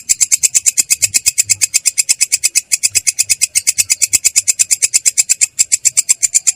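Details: Clear but coarse ngerol roll of a belalang kecek katydid, a long run of sharp, shrill ticking pulses at roughly eight per second, slightly uneven in spacing, with faint low background hum.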